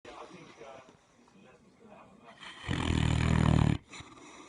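A Great Dane snores with one loud, deep, rumbling breath after quieter, softer breathing.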